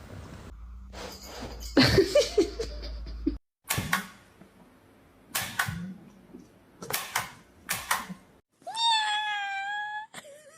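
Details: A frightened domestic cat gives one clear, drawn-out, tonal meow near the end, after a stretch of scattered knocks, thuds and rustling indoors.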